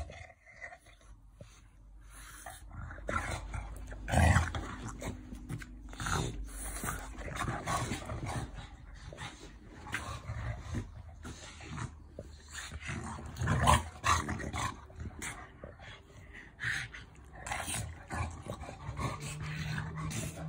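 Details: French Bulldog growling during affectionate play, low rumbling growls in stretches amid scuffling, bumping and panting, loudest bursts near the middle and a sustained low growl toward the end.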